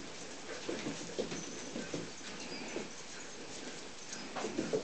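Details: Siberian Husky pups making soft, short whimpers and squeaky grunts, scattered irregularly through the recording over a steady background hiss.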